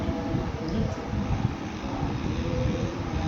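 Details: Continuous low rumbling noise, like a passing vehicle or aircraft, with no distinct animal calls.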